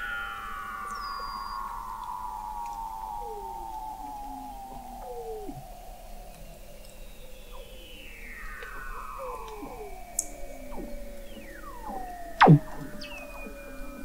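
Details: Recorded 21 m under sea ice at McMurdo Sound, Antarctica, November 2017: Weddell seals trill in long slowly falling tones, overlapping descending sweeps and a steep drop near the end, plus scattered high chirps over a persistent low hum.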